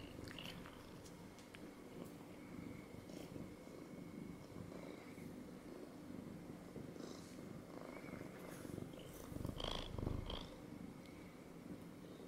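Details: Domestic cat that has jumped up to sit on a person's lap, purring in a steady low continuous rumble with slight rhythmic pulsing, swelling a little louder near the end, in a quiet indoor setting.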